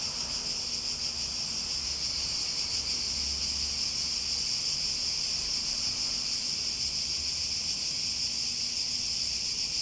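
Cicadas sing a steady, high, shrill buzzing drone that holds unbroken throughout.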